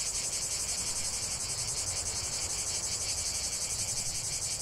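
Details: Continuous shrill drone from many cicadas, a bright high rasp with a quick, slightly uneven throb, constant in volume.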